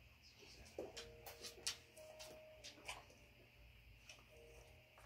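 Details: Newborn Golden Retriever puppies only a few days old, lying in a pile, give thin, faint whimpers and squeaks, held briefly and repeated.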